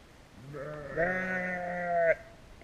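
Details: One sheep utters a drawn-out bleat lasting over a second, starting lower and rising into a steady, harmonic, slightly trembling baa, recorded on a GoPro Hero.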